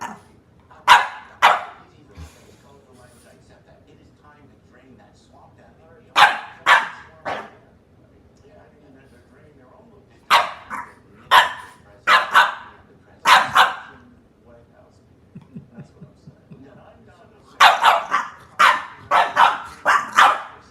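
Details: Playful puppies among their littermates yapping in short, bright barks, repeated in clusters of two to five with quiet stretches between them, the bursts growing denser toward the end.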